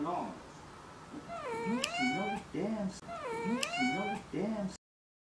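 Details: House cat cutely nagging its owner to quit watching TV: two drawn-out, wavering meows about a second apart, each bending up and down in pitch, with short lower chirping sounds between them in a quiet room.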